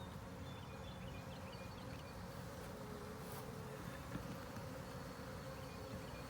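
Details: Honey bee colony hum during an inspection of a ten-frame deep hive box with a honey super; steady low buzzing drone throughout, with faint scattered higher buzzes of individual bees.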